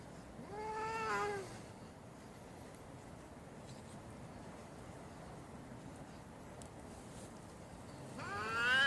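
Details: A cat during a fight lets out a wavering, drawn-out yowl near the start. A long stretch of hissy background follows, then a second rising call begins at the very end.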